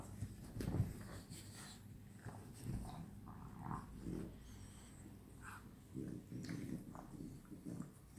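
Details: At night, French Bulldogs playing together snort, grunt and growl in short, low, rough bursts.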